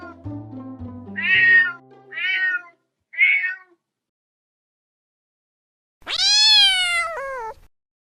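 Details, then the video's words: Domestic cat uttering three short meows over fading background music, then after a silent pause one long, loud, wavering meow that drops at the end. "cat sound effect"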